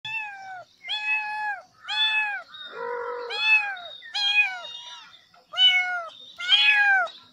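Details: Kitten mewing in a run of about eight short, high, slightly bending meows with clear harmonics, one lower and flatter cry in the middle, final calls louder and more strained; no other sounds.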